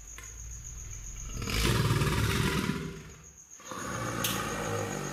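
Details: Albert, a male American alligator, bellows in water in response to a B-flat played on a tuba, arching his back with head and tail raised. A deep, rumbling roar swells for about a second and a half, then a lower rumble continues.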